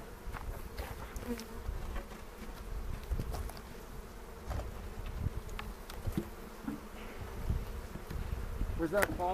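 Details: Bees buzzing around an opened hive near Cochrane while beekeepers inspect frames and place a pollen patty, April 27, 2018; a steady, low, rough drone throughout with faint taps and clattering from the box.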